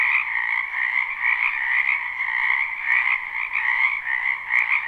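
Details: Live recording of a springtime wetland frog chorus: numerous frogs trilling and croaking continuously, the mass of calls swelling and easing in gentle waves, a few sharp clicks above.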